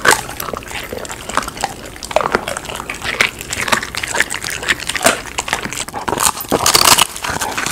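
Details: Golden retriever dog eating snacks at home, among them raw chicken, duck, homemade giant jelly, dried pig ear, fruit, vegetables and sweet potato; wet sloshing, slurping chews with dense bursts of smacking clicks throughout, growing busier near the end.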